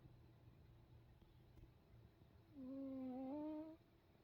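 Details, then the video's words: Sleeping cat snoring, one long nasal whistled tone rising slightly and holding for over a second, after a quiet stretch of soft low room hum. "냥이의 코골이"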